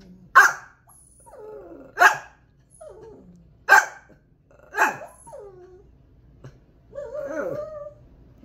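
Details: Domestic dog Jepey reacts to being told there is a cat or dog outside. Five sharp barks come roughly every second and a half, each followed by short whining, ending in a drawn-out, quavering whine.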